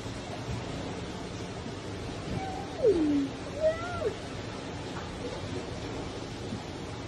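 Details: Giant otters at Los Angeles Zoo give a few smooth, sliding, downward-swooping, wavering whines while swimming in joyful loops to greet their keeper in the morning, over steady rushing water.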